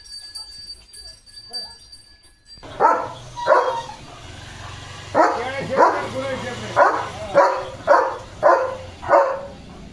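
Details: Morning on a village farm with Leo, a German Shepherd: soft music-like tones at first, then a string of about nine strong barks, roughly two per second, with a low hum underneath.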